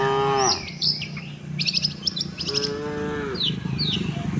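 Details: Tame cattle traveling with the herd to their shed give one clear, level moo after the tail of another, against busy chirping and twittering of birds and a low rumbling background.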